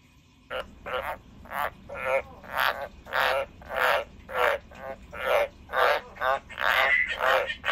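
A frog gives raspy, rattling croaks, one after another about twice a second.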